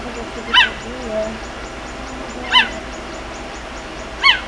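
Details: A cheetah frantically calling for its cubs gives three sharp, high-pitched chirps with rich overtones, spaced about two seconds apart, against a low steady hiss with faint soft murmurs between calls.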